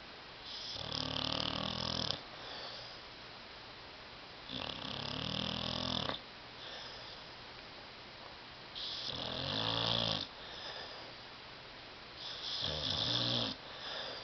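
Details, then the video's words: Tyson the dog, fast asleep on a love seat, snores louder than a human: four long grating, rumbling breaths, each over a second long, spaced about four seconds apart, with faint hissing exhales between. "DOG SNORING"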